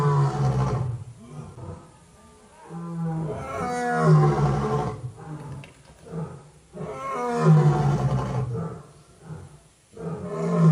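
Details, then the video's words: Tiger roaring, recorded raw during a trip: deep, rasping roar bouts repeat roughly every three to four seconds, each a rumbling low pulse with gravelly overtones, with quieter gaps between. "tiger roar real sound"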